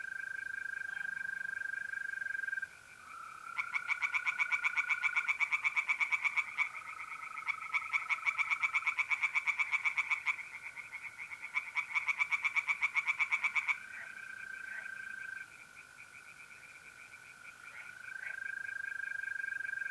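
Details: April night by a pond in north-east Italy: tree frogs break into a long fast series of rasping croaks, ten seconds or so, framed before and after by the even, sustained trill of mole crickets.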